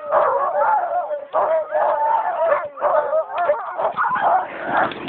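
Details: Several sled huskies in Geilo, Norway, in January, eager to go at the end of a ride: a dense, continuous chorus of overlapping whines, yelps and howls, with a man's voice calling to the dogs.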